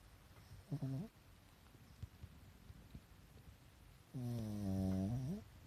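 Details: Pekingese pet sleeping soundly, eyes showing white, gives a brief snort-like snore followed a few seconds later by a long, steady, low buzzing snore that rises at its end.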